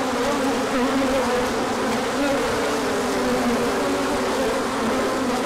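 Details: Swarm of bees making an orientation flight on a sunny spell after cold days in March; thick continuous humming with slightly shifting pitch bands, no other clear sounds.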